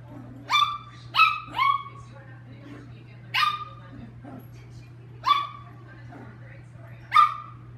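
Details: Playful Chihuahua Lucky barks in scattered bursts, a quick triple of shrill yaps then single sharp barks every one to two seconds, with faint whimpering sounds between and a low steady hum in the room.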